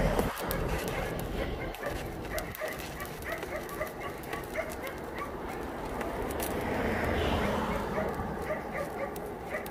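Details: Abandoned dogs at the Yangsan Mindeulle Shelter during a volunteer visit, many barking at once in a dense, overlapping chorus over steady background noise, with a few louder yips standing out.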